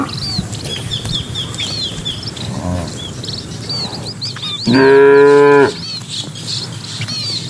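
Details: Cattle driven by a herder into their pen as evening begins: a single drawn-out, harmonic low moo lasting about a second mid-clip, with small birds chirping and twittering throughout.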